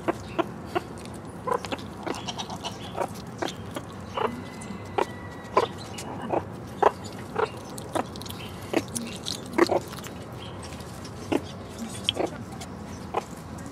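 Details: Three one-year-old meerkats forage for bugs, beetles and hidden mealworms in an overgrown enclosure, giving brief, dry clucks and chirps in a loose, uneven series, several per second, over a faint steady hum and low murmur.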